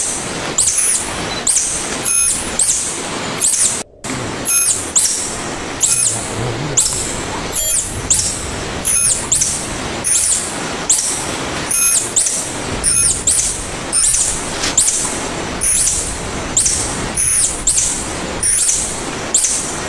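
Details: Tarsier (tangkasi) calling with rapid, very high squeaky chirps, about every 0.6 seconds, steady throughout except for a brief silent gap near four seconds, over persistent hissing background noise.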